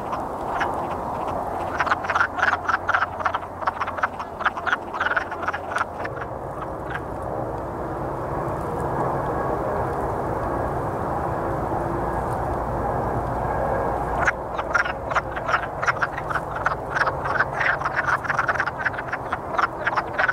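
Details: Courting wood frogs calling in a chorus: dense runs of rapid clucking croaks, a quieter middle stretch of steady low rumble with fewer calls, then the clucking chorus swells again toward the end.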